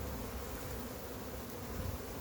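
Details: Massive wild honey bee hive during capture: dense, continuous low buzzing of a crowded colony, even in loudness throughout, with broad rustling noise above.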